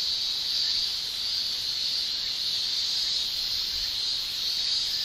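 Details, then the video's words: Male Japanese cicadas in summer in Japan shrilling with their tymbals: a continuous, dense high buzz held steady throughout, with no other clear sounds. "Japan Summer Cicada Shrilling"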